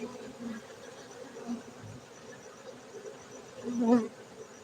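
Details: Steady droning hum of honey bees at a honey bee farm in Gayo, Aceh, Indonesia, swelling into a louder buzz near the end as a bee passes close.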